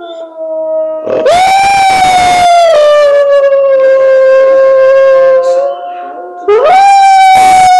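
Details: Hound dog in the mountains and forests of Transylvania gives a long, steady, mournful howl, then starts another after a short pause, answering howling wolves.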